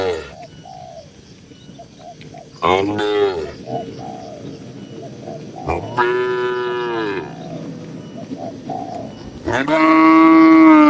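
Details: Dozens of tame cattle housed together in a farm barn; a brief moo near three seconds, a fuller harmonic moo around six seconds and a loud moo at the close, with soft short calls, possibly birds, and a low hum in between.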